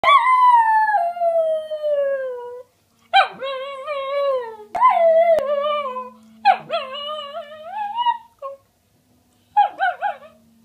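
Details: Miniature Schnauzer dog singing: long drawn-out howls that start high and slide downward, several separate phrases with short gaps, some wavering and yipping at the ends, clear and close with a faint steady hum behind.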